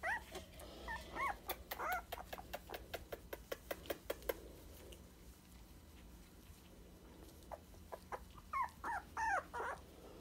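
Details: Sandstone Dachshund puppies at 23 days old: a few high wavering whines, then a fast run of sharp clicks or ticks, a quieter pause, and another string of short rising-falling whimpers near the end.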